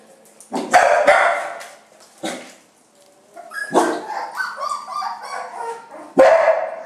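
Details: Domestic dogs of a family with puppies: loud, sharp barks open the recording, a short bark follows near two seconds, then a run of higher yelping, whining barks and one more strong bark at the end.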